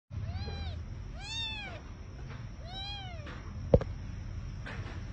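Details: Three small abandoned kittens rescued from the street at night mewing: three thin arched high-pitched meows, one after another about a second apart, then a sharp click and a soft faint cry near the end over low steady background hum.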